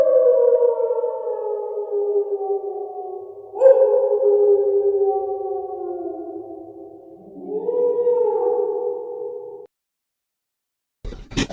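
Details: Wolves howling in overlapping voices, long mournful tones sliding gently downward, one rising again after several seconds, the chorus lasting nearly ten seconds before silence and a short clatter.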